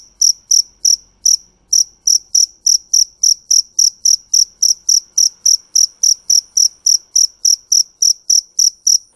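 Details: Cricket chirping loudly with short, sharp high-pitched pulses repeated about three or four times a second in a steady rhythm, with a brief pause near the start; no other sounds.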